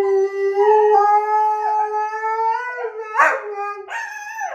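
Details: Husky howling: a long, smooth, drawn-out tone that slowly rises, then breaks into shorter wavering yelps near the end, in a quiet room.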